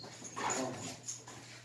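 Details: Old English Sheepdog in Jeju, excited to meet a familiar person again after four months: a brief thin, high squeaky whimper of a few short notes, then a quieter whine, over soft background hiss.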